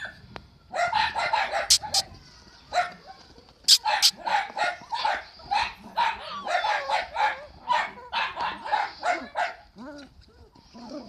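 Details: Miniature dachshunds at the Olionka breeding kennel bark in a rapid, irregular series of sharp yaps, bursts packed closely and overlapping through the stretch, with a few higher whiny yelps near the end and a human voice faintly underneath.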